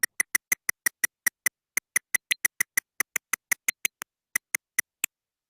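Eastern red bat echolocation, rendered audible as a steady train of sharp, dry clicks about five per second.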